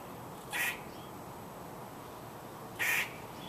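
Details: Two rough, nasal squirrel barks, brief and loud, separated by a gap of about two seconds of near silence.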